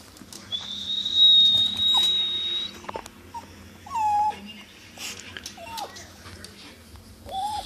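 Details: A steady, shrill, high-pitched tone is followed by a dog's short, bending whines and yelps, reacting to the high-pitched noise it dislikes.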